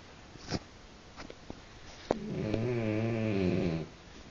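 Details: Snoring French bulldog, described as louder than its owner; a few faint clicks and snuffles, then a drawn-out buzzy, nasal snore of just over a second with slightly wavering pitch.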